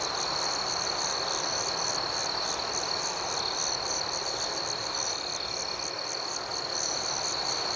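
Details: Nocturnal crickets chirping in a tranquil outdoor setting, a dense, even, high trill with quick rhythmic pulsing, no breaks, and a faint broad hiss underneath.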